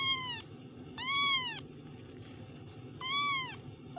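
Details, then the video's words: Kitten meowing: three clear, high, drawn-out mews about a second apart, each bending slightly up then down, with quiet gaps and a low hum between them. "kittens Meow"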